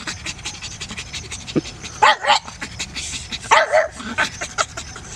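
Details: Laika, a nearly six-month-old pug, on her first outing to a nearby park: two short bursts of yappy barking about a second and a half apart, with breathy noise and faint background chatter between them.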